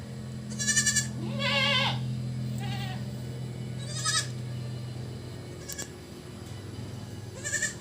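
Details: Several domestic goats at their evening feeding bleat repeatedly: wavering, nasal cries rising and falling in pitch, some overlapping, spaced a second or more apart, over a steady low hum.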